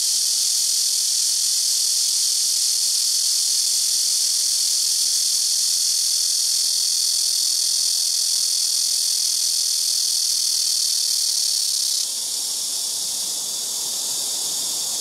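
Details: Very noisy blackish cicadas in rooftop and nearby trees, calling one tree after another: continuous piercing high buzz, steady for twelve seconds, then shifting slightly in tone and becoming a little softer.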